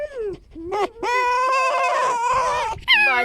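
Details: Male pet fox rescued from a fur farm, squeaking during a harmless vocal exchange with another fox; a short falling whine, then a long sustained high wavering squeal lasting nearly two seconds, ending in a brief rising cry.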